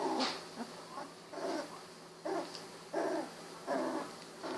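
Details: A litter of 16-day-old Golden Retriever puppies, eyes just opened, crawling around; short grunting whimpers repeat roughly every second in a loose rhythm, with a faint steady hum underneath.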